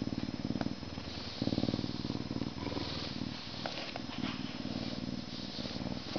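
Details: Rumbling purr of a Canada lynx, rapid fluttering pulses swelling and fading with breathing, punctuated by a few light clicks and rustles.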